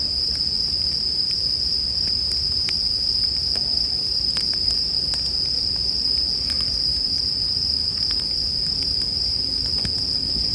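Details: Bell cricket song heard as a steady, high, ringing trill that never pauses, layered with sharp pops and crackles from a campfire and a soft low rumble underneath.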